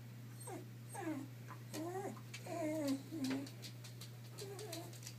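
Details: A two-year-old female Shiba Inu named Boo frets over hiding an edible chew toy inside the house. Back-to-back whines slide downward, some warbling, with one long plaintive cry in the middle, over soft clicks and a low hum.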